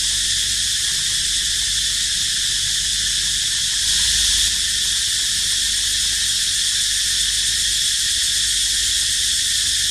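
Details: Cicada crying near a baby monkey named Dito resting: a dense, steady high-pitched buzz that never breaks, briefly swelling louder around the middle, with faint low rumble beneath.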